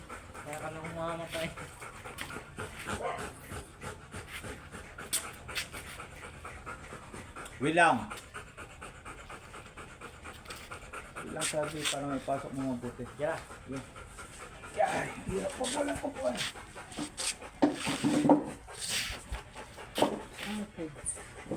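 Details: Oversize chocolate Labrador dog during a stud session at Rosales, Pangasinan, panting in quick breathy bursts over several stretches, with people talking in between and over it.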